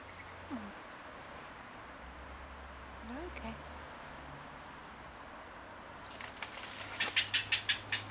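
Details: Eastern fox squirrel barking at a person to defend its avocado tree as territory while swishing its tail; after six quiet seconds with faint rising whistles, a rapid run of sharp, broadband barks, about four per second, grows louder toward the end.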